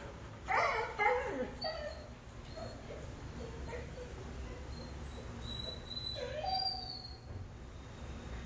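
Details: A pet dog making a funny whining noise, a few short high nasal yelps then quieter whimpers, over steady low background hum with a man's voice nearby.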